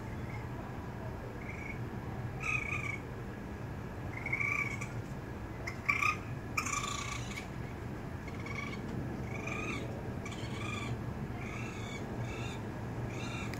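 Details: As the mother raccoon leaves, her kits call and one falls from the second floor trying to follow. Thin, high whining chirps repeat every second or two throughout, some in quick doubled bursts, over steady low hum.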